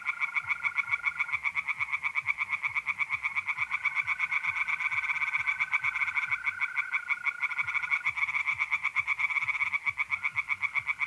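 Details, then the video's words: Night chorus of tree frogs in a north-east Italian pond in mid-April, fast rasping croaks pulsing continuously, overlaid by long, even mole cricket trills that start and stop several times. "relaxing singing tree frogs in pond and trilling mole crickets by night"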